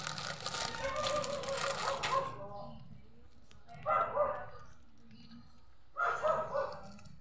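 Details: Neighbour's cat, described as not so hungry, meowing: a long drawn-out harmonic meow of about two seconds, then two shorter meows about two seconds apart, in a quiet setting with faint background noise.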